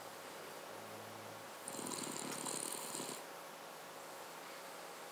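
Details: Snore from a Cavalier King Charles Spaniel: one soft, vibrating breath lasting roughly a second and a half, buzzy and pulsed with a faint whistly hiss, set in a quiet room.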